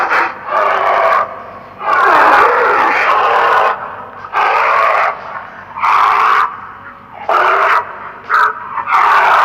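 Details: A European brown bear gives harsh, rasping roars and growls in bursts about a second or two long.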